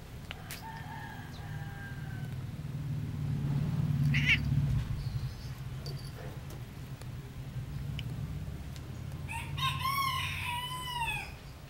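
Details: American Shorthair cat named Ambo on a Wednesday afternoon; a brief faint call early on, then near the end a clear harmonic meow that rises and falls over about a second, set against a steady low indoor hum.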